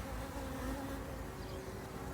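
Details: Honey bee drone buzzing as it tries to get into the hive on a sunny 4 February 2022, among bees making cleansing flights and gathering pollen; a steady low droning hum with a faint whine above, continuous throughout.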